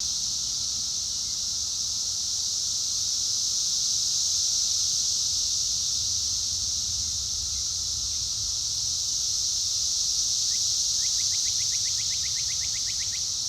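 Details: Cicadas drowning out a mockingbird: a continuous high, steady hissing drone fills the whole clip at even loudness, with a faint rapid series of clicks or notes from the mockingbird near the end.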